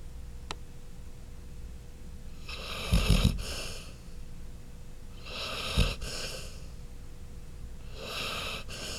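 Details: Chloe the dog snoring indoors in a small room: breathy rasping snores rising in bursts about every three seconds, each with a low rumbling inhale and a brief snort near its peak, over a steady background hum.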